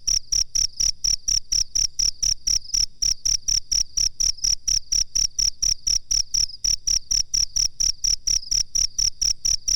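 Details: Cricket chirping on a master recording made for training birds: high, steady pulsed chirps repeated about three times per second in an even rhythm, with nothing else audible.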